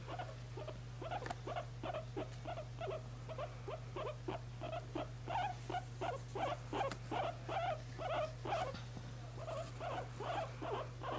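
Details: A guinea pig being held and cuddled gives a steady run of short, soft squeaks, roughly two or three each second.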